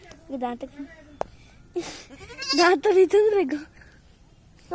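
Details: Playful goat kids with a child, a loud trembling bleat rising and falling over about a second, preceded by shorter bleats and a sharp knock, with human voices nearby.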